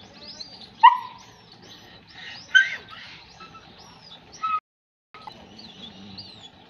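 A German Shepherd puppy gives three high, yelping barks, spaced about two seconds apart.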